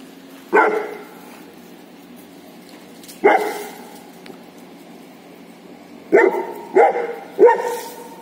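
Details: Female Saint Bernard barking at a cow, asking it to play: five deep, resonant barks, two spaced widely then three in quick succession near the end, over low background hum.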